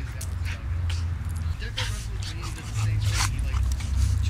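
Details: A 4-month-old Shiba Inu puppy gives low, throaty play growls on and off while wrestling a much larger dog, with scuffling and bumping and quiet voices; Seattle, WA, March 11, 2008.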